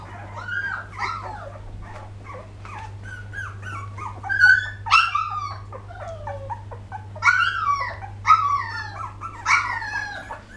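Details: Poodle puppies whimpering and yipping indoors in 2012: a busy cluster of short, high, squeaky whines bending up and down, several overlapping in bursts, with a steady low electrical hum underneath.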